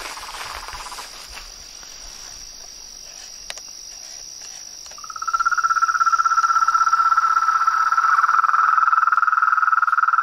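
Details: Toads, frogs and treefrog in the wild: quiet, faint background calling for five seconds, then a loud continuous pulsed trill starts abruptly and carries on strongly to the end.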